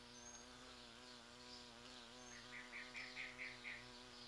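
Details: Large bumblebees visiting flowering sete capotes (Campomanesia guazumifolia) in a garden around mid-November, drawn by the rose-like scent; a steady, low, droning buzz that wavers in pitch, with short repeated high chirps from another creature in the second half.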